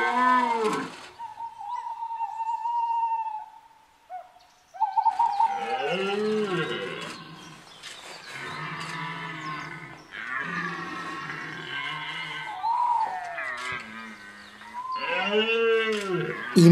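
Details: Red deer stags bellow in the September 2021 rut at Chambord's walled forest, France, at daybreak: deep, rasping, drawn-out groans that swell and fade over a second or two, in overlapping bouts, with a thin steady whistling tone early on.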